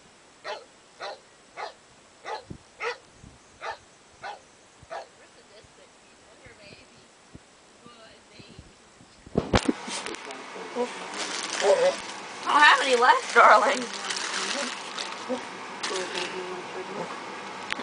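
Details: Begging for food, dogs Arwen and Katana bark in a steady run of about ten short barks, roughly one every half second, then a loud, broad rush of noise and voices takes over for the rest.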